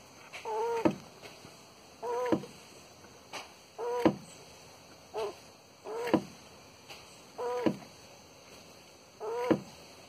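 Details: Tortoise mating in Porto Alegre, Brazil, in January 2021, giving short, hoarse, harmonic groans. Seven calls in ten seconds, each a brief rising-then-falling squeal about one and a half seconds apart, with quiet gaps between.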